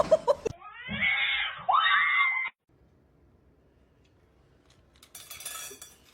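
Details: Pet cat in a funny cat compilation uttering a drawn-out, strained yowl followed by a second cry that rises sharply at its start and holds. It breaks off abruptly into near silence, with faint brief noise near the end.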